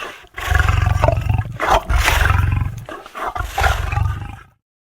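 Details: Lion roaring in a series of deep, throaty, pulsing bursts, each lasting about a second with brief gaps, strong low rumble throughout before ending abruptly in silence.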